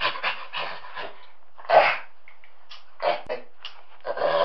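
A chimpanzee gives harsh, breathy hoots and grunts in uneven bursts.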